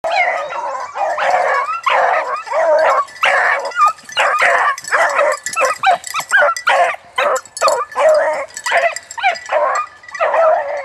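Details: Nine-month-old bluetick beagle, the lead dog, chasing a rabbit: continuous loud baying, a rapid run of yelping bays, several per second, harsh and overlapping throughout.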